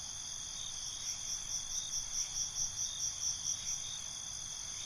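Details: At night, crickets chirp in a clear, evenly spaced run of high, pulsing notes, swelling in the middle, backed by an unbroken shrill drone of other insects.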